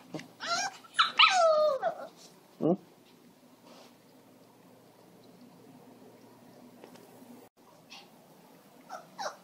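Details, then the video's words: Female Pomeranian and Shih Tzu mix, anxious after her owner stepped outside, lets out loud rising and falling whines with a short low grunt. A long quiet stretch follows, and a faint whine comes at the close. "Cute Dog Making Noises"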